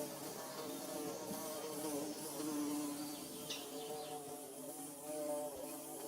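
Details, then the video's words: Bees constructing their nest produce a loud, rich buzzing drone with several harmonic layers, swelling and dipping gently as insects move near and away. "Bee Buzzing"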